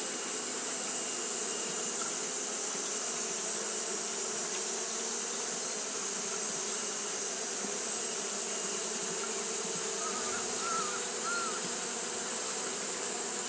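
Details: On a hot day Japanese honey bees fan nonstop, giving a steady layered buzz with a strong high sizzling band; a brief cluster of faint chirps appears late in the recording.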